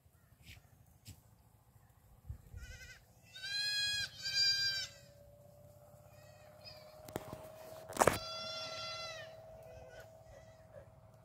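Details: Black goat kids running on a farm in Gimhae, South Korea, July 2022; a pair of quavering bleats, then a sharp knock and several overlapping bleats from more than one kid over a steady low mechanical hum.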